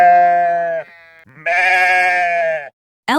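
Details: Sheep (Ovis aries) gives two wavering, nasal bleats, the second longer and brighter, with a brief spoken word.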